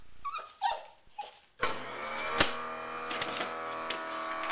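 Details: Riley, a pet dog upset by a running garbage disposal, gives a few short high whining whimpers before the loud steady grinding hum of the disposal starts and covers the rest.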